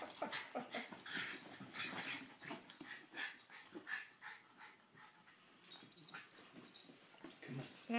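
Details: Poppie and Nellie, two dogs having fun together, make rapid wheezy, snuffling play noises with short whimpering yips in quick irregular bursts, steady scuffling throughout and a quieter lull near the middle.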